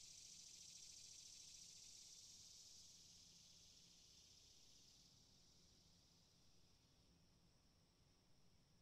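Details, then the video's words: Cicadas in a steady, high-pitched buzzing drone that stays loudest early on, then eases slightly in strength, with a faint low rumble underneath and no other clear sounds. "Cicadas sound"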